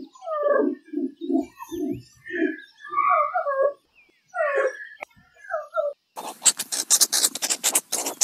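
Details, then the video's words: Meerkat chatter: a run of soft low grunts that gives way to higher squeaky, warbling notes, followed by a brief pause and then harsh broadband rasping noise. "Real Meerkat Sounds"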